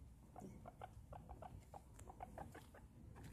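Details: Very excited guinea pig giving short, squeaky chirps in quick irregular bursts, about four per second, each clipped and mid-pitched, over a low room rumble, with a person's voice nearby.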